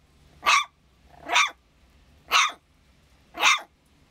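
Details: Young San'in Shiba puppy barking for some unknown reason, giving four short, high, yappy barks roughly one per second, evenly loud, with quiet hum between them.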